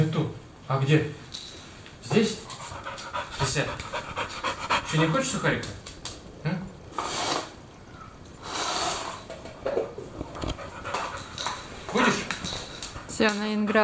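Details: Labrador Retriever dog panting while playing games with its people indoors; rapid breathy huffs come in bursts, mixed with frequent Russian speech and praise from people nearby.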